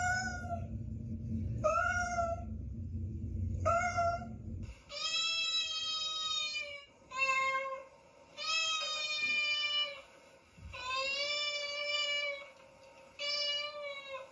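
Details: Domestic cat meows used to attract cats: a series of clear, drawn-out meows with rich harmonics, some rising then falling, repeated at irregular intervals of one to two seconds, with a low rumbling background noise during the first few calls.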